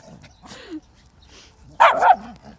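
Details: Household with a schnauzer and a West Highland White Terrier, January 4, 2020: a single loud, rough bark late in the moment, preceded by quieter whimpering sounds and faint voices.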